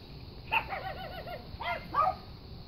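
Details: Brussels Griffon yodeling before giving chase to a rabbit, outdoors with young chickens nearby: a short high yelp, then a wavering, warbled run of yodel-like notes, another broken yelp and a final rising cry over a faint background hiss.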